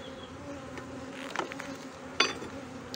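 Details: Honey bees humming inside a hive, Brno, 2022, after the colony's own queen cell hatched earlier than an inserted one; a continuous drone broken by sharp clicks and knocks from handling near 1.4 and 2.2 seconds.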